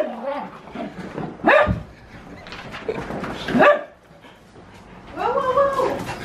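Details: Husky in the middle of wild zoomies, letting out a few drawn-out, wavering howl-barks separated by pauses, with a person's excited talking in the background.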